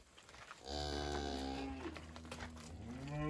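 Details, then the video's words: Red Angus cross cows with calves; one long low moo begins about a second in and holds steady to the end, with a faint hum in the background. "RED ANGUS X COWS & CALVES"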